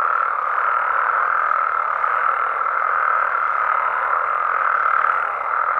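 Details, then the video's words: A night chorus of frogs and toads in Mexican amphibian habitat: many callers blend into a loud, steady trilling drone with only small swells in volume. "Mexican Frogs & Toads Sounds"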